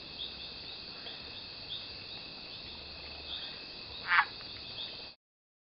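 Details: Single abrupt clucking note from a Mexican leaf frog giving its mating call in Yelapa, Jalisco, Mexico, June 8th, 2014, set against a constant high-pitched insect chorus.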